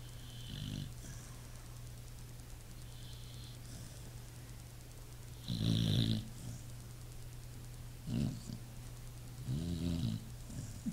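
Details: Sleeping pit bull snoring: low rumbling snores that come every two to four seconds, each with a raspy, rattling breath, over a steady low electrical hum.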